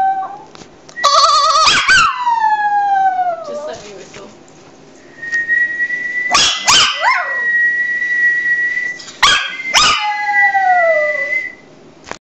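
A Maltese dog gives drawn-out howls, some held steady and others sliding down in pitch. Sharp yips and clicks break in between the howls, and there are faint voices in the background.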